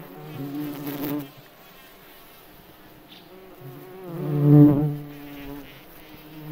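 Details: In a forest, a flying cockchafer (May beetle) gives a low, humming wing drone that rises and falls twice as it flies close and then away, fading to a faint hum between passes.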